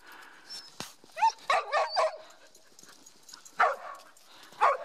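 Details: A dog, described as part Schipperke, doing zoomies on a hike at Grand Staircase-Escalante National Monument in southern Utah; short high excited yips and barks in scattered bursts, with a person calling the dogs over.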